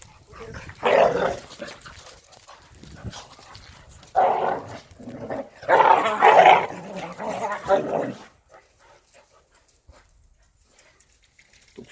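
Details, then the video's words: Korean native Jindo dogs Sundol, Baekho and Ttoksuni at exercise time: loud bursts of barking in clusters near the first, fourth and sixth to eighth seconds, then near silence, with a person talking between them. "한국 토종 진돗개 순돌,백호,똑순이 운동시간!!"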